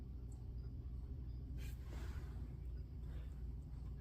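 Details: Quiet low rumble like a passing vehicle, with faint background noise and no animal voices.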